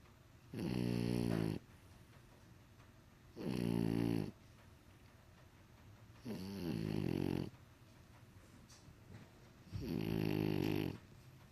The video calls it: Snoring French Bulldog